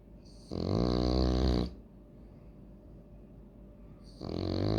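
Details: French Bulldog named Loki snoring indoors: a long, loud, rattling snore of about one second, a quiet pause, then the next snore beginning, each breath deep and harmonic like an old man's.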